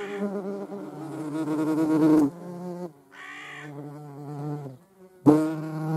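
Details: European hornet seen together with a median wasp: a loud harmonic flight buzz that breaks off, drops to a quieter lower hum with short gaps, then returns abruptly loud at the end.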